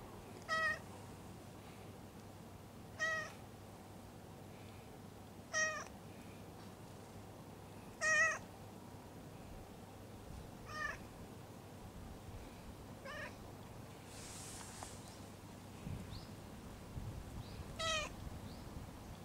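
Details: Soft, repeated meows from a stray cat having its lower back patted: about seven brief calls roughly every two and a half seconds, some fainter, with one rustle in between.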